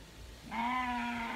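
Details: A goat getting its first bath gives a single steady, nasal bleat held for nearly a second, with faint background noise.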